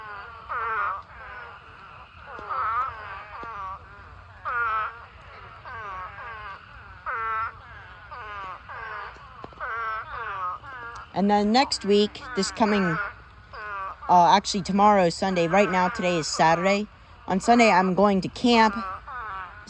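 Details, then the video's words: Thousands of spadefoot toads swarm a pond to mate, their wailing, bleat-like calls overlapping in a steady chorus, joined in the second half by louder close voices amid the calling. "Huge Spadefoot Toad Mating Swarm Pond Full of Thousands of Toads"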